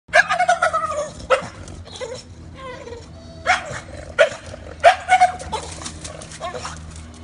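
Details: A female bulldog puppy at play, excited, gives bursts of warbling, gobbling yelps and whines that rise and fall in pitch like a turkey, in quick clusters with short pauses.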